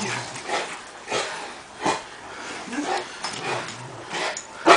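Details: Cane Corso barking during a training session: a series of short, harsh, broadband barks spaced roughly half a second to a second apart, somewhat distant and echoing, over steady background noise.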